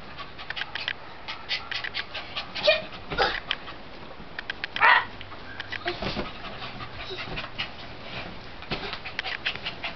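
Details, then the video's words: Norwich Terrier playing on a couch, giving short scattered whimpers and huffs with quick panting breaths, a couple of louder tonal yelps standing out around the middle, in a quiet indoor room. "Norwich Terrier Playing"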